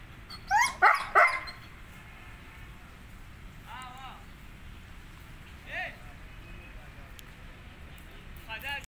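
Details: Gull Dong dog, 17 months old and 28 inches tall, giving three loud, sharp barks in quick succession, followed by a few fainter yips and whines over background noise.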